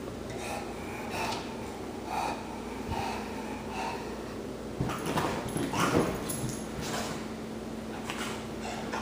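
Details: Bonnie, a pet dog indoors, worked up after raspberries were blown at her, gives repeated breathy snorts and wheezy huffs in short bursts about once a second, over a steady low electrical hum.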